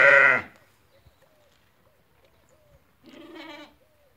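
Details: Ewes that have lambed, offered for sale at a livestock market in Fquih Ben Salah, Morocco: a loud, harmonic, wavering bleat opens, then after a quiet gap a second shorter, softer bleat follows, with faint rustling between.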